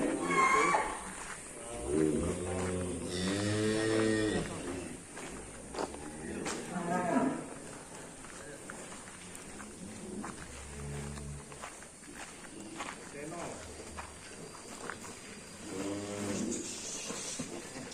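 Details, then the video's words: Cattle in a pen on a farm, described as angry and rampaging, kept there about half a year: several deep, drawn-out moos with rich harmonics, loudest early on, between stretches of men talking nearby. "SAPI NGAMUK SUPER BRINGAS HANTU PUN TAKUT"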